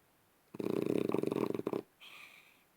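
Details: French Bulldog asleep, one rattling, pulsed snore lasting just over a second, followed by a softer, higher, airy exhale.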